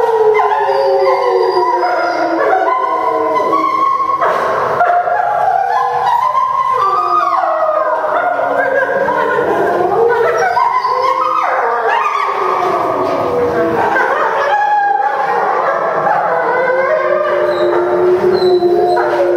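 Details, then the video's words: Several timber wolves at Tama Zoological Park, Japan, filmed in September 2015, howling together after a meal; overlapping long wavering howls at different pitches, some rising then sliding down, forming a continuous chorus throughout. "食後の遠吠え大会Timber wolf Howling after a meal"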